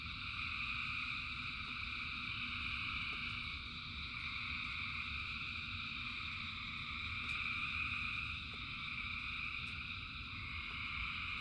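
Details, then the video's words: In steady rain, a massed frog chorus rings as an unbroken high buzzing trill in several layers, gently rising and falling in loudness, with low rumble and occasional sharp ticks. "Frogs in Rain 2 Hours of Frogs, Thousands of Frogs Singing"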